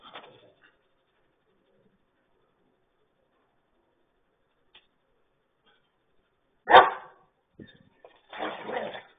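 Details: Nico and Zeeva, two German Shepherds, during playtime: a long near-silent stretch, then one loud abrupt bark, a soft click, and a rougher, longer bark-growl closing the clip.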